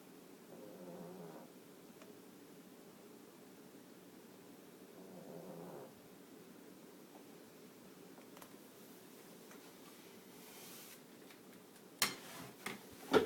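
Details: Pug named Ellie snoring while asleep indoors: soft rough snore bursts with a faint nasal whistle, about every four to five seconds, ending in a few sharp knocks or rustles.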